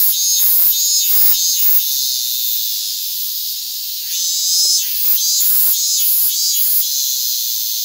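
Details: Hyalessa maculaticollis fuscata sitting on a hand, recorded August 8, 2022: a dense, piercing high drone that swells and eases slightly, with several short broadband thumps from handling scattered through it.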